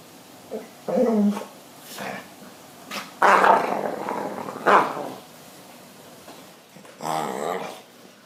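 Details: Two pet dogs at home, one rejecting the other's advances: a short harmonic growl, then loud rough barking bursts around the middle, a sharp burst just after, and a harsh drawn-out growl near the end.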